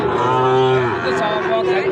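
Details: Sahiwal bull calves offered for farm buyers at Ambari cattle market, a haat held Fridays and Mondays: one steady, low, droning moo held for about a second, then a second softer lowing, with market chatter beneath.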